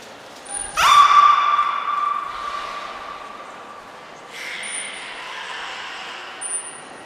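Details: Niko, a captive beluga at the Port of Nagoya Public Aquarium, in training on 25 February 2024: a sharp upward sweep opens into a steady, sustained whistled tone lasting about a second, followed by softer, breathy harmonic calls and faint high pips.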